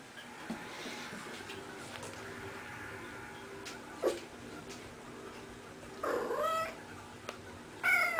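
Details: Female cat at play, rolling about; long quiet stretch broken by a short squeak, then a wavering drawn-out mew and a high rising chirp near the end, with faint room noise and a person speaking afterward.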